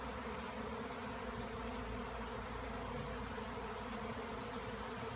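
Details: Honeybees swirling in a wild swarm after being cut out of a tree. A steady, dense droning hum with low banded tones holds unbroken throughout.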